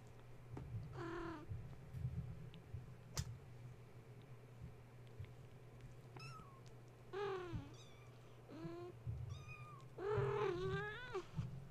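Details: Young kittens of Gaia, stirred from sleep at bedtime by a space heater being plugged in and romping around their kennel; a series of high, wavering mews and short cries, several overlapping near the end, above a persistent low droning hum and knocks.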